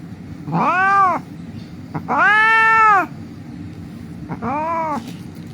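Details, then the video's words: Street cat, injured and under treatment, cries out in three separate wailing meows, the middle one longest and loudest, each rising then sagging in pitch, over a low background hum. "The cat was lying on the street crying"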